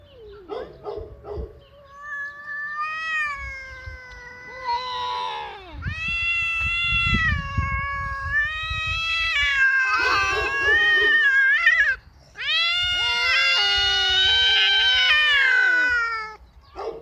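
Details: Two domestic cats, a ginger tom visiting and a resident black male, yowl at each other in long, wavering cries rising and falling in pitch near an uninterested female, in a spring mating standoff on 27 March 2017.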